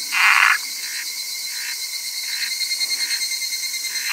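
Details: Wrinkled frog calling: one loud, harsh croak at the start, then a series of softer, shorter croaks repeated roughly every half second, over a steady high insect hiss.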